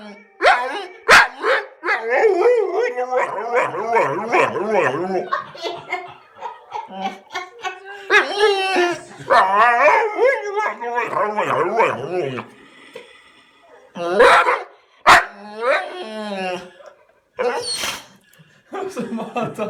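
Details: Responding to its own recorded voice from a computer, an American bulldog keeps up a stream of loud, wobbling, howl-like moans and whines with bending pitch, broken by short pauses and a few sharp clicks.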